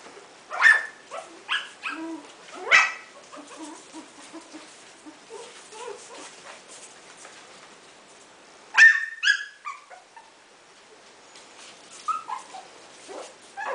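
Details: Coton de Tulear puppies at 4 weeks old, yipping in short, high, scattered bursts with quiet gaps between them. Soft squeaks and whimpers come in between the louder yips.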